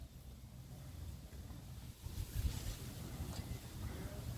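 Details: Steady low wind rumble buffets the microphone outdoors, with a faint hiss and no animal calls.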